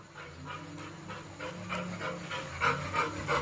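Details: Labrador Retriever, a pet dog eager for outings, panting in quick, fairly regular breathy bursts about three per second, with a low steady hum of vehicle engine noise underneath.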